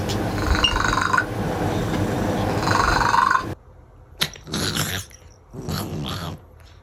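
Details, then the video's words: A sleeping domestic cat snoring like a human: a loud, rough, low rumbling breath for about three seconds, followed by quieter, breathy snorts in separate bursts. "A cat that snores like a human"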